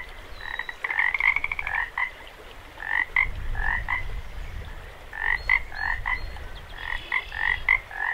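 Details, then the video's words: Several frogs croaking beside a running creek at Jacobs Creek: bright repeated croaks in pairs and short runs, roughly every second or so, with a brief rattle, over continuous rushing creek water. "0:01- 1:42 frogs"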